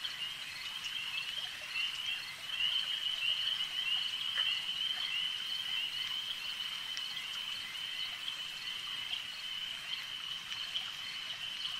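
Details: Frogs at a lake keep up a sustained, piercing trill chorus, growing a little louder after two seconds, then holding level with a faint background hiss.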